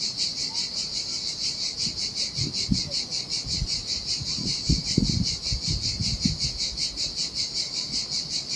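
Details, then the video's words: Cicadas singing in the summer heat beside the sea on a desolate Sardinia beach, Italy: a loud, steady, high buzzing throb pulsing about twice a second, with low splashing thuds of surf beneath. "Ocean Waves & Cicada Sounds - The Most Relaxing Waves Ever - Cicadas by the Sea"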